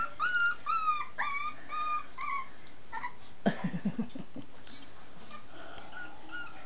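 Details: Scottish Terrier puppies, twenty-three babies in a crowded puppy room, give high whining whimpers that rise then fall, repeated about every half second for two and a half seconds, followed by a burst of low thumping and faint scattered squeaks.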